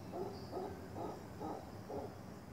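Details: Howler monkeys in the jungle around a vacation rental give a deep, rough, pulsing territorial roar, about two throaty bursts a second, calling to other troops to stay away, over a low background hum.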